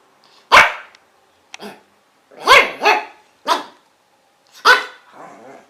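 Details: Dogs barking, loud sharp barks in an irregular pattern, some doubled in quick pairs, with a softer rasping trailing sound at the end.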